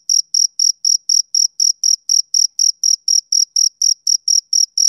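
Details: Rhythmic shrill pulsing of a male cricket on a summer evening, roughly four even chirps each second, unvarying in pitch and loudness, against a quiet background.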